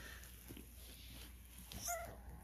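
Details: Twelve-day-old Cane Corso puppy at a kennel, woken up, giving one brief high whimpering squeak near the end, with a woman softly talking to the puppies before it and low room hum throughout.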